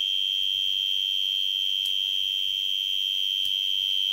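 A tree cricket sings a steady, high, pure-toned trill that holds one pitch without pause.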